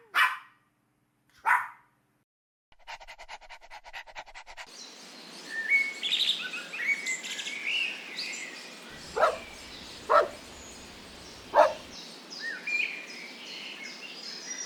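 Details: Playful dogs romping on a green meadow in nature. Two barks ring out first, then a buzzing interval, and later several clipped barks spaced about a second apart over steady background hiss and bird chirping.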